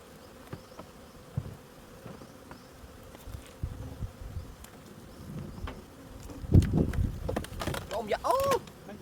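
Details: Bees hum steadily while honey is being harvested. Knocks and rustling grow louder in the second half, and human voices rise over the buzz near the end.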